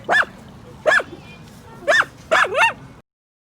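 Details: Pet miniature dachshund at home, which barks on hearing dogs' voices on TV or outside: four short, sharp barks about a second apart, the last a quick double bark, over a faint background hum, then silence.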